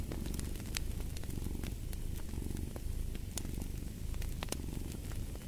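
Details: Deep continuous purr of a cat, pulsing in even low throbs, mixed with a fireplace's crackling and frequent bright snaps of fire.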